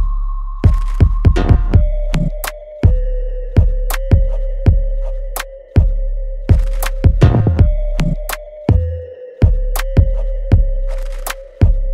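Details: Electronic music with steady held tones and sharp percussive beats, and no animal voice.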